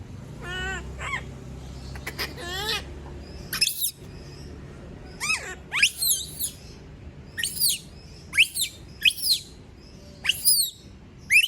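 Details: Monkey, a female, screaming when everyone has left her alone: it opens with lower, stacked wavering cries, then breaks into sharp, high, downward-sweeping shrieks at irregular intervals through a low household hum.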